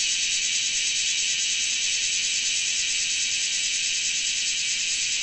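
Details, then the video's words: Large brown cicada (Graptopsaltria nigrofuscata) singing loudly: an unbroken, sizzling hiss like frying oil, high-pitched and steady in loudness throughout, with no pauses and no other clear sounds. "せみのこえ(large brown cicada)Graptopsaltria nigrofuscata"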